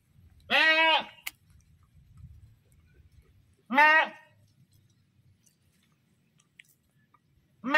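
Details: A goat screams in short arched bleats, two clear half-second cries about three seconds apart and a third starting at the end, with soft low background noise between.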